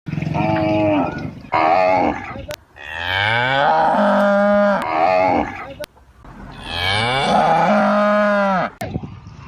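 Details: Calf of a village cow in India mooing: two long, loud harmonic moos, each rising then holding steady and falling off at the end, separated by short pauses, with faint clicks between calls.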